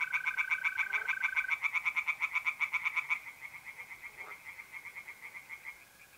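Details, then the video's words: Mid-April night in north-east Italy, tree frogs singing in a pond: a loud rapid series of pulsed croaks that gradually fades, accompanied at first by a steady mole cricket trill. "relaxing singing tree frogs in pond and trilling mole crickets by night"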